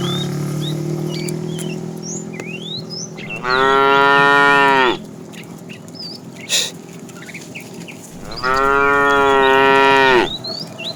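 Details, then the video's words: Tame herd cows on their way to fresh pasture: two loud, sustained, harmonic moos about five seconds apart, each lasting over a second, over a steady low hum and scattered bird chirps. "Funny cow sounds"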